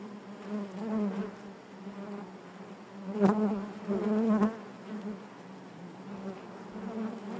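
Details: Steady hum of honey bees within the hive, low and harmonic-rich, rising into a louder buzzing burst midway as bees crowd close, plus a sharp tap, then easing to a softer drone.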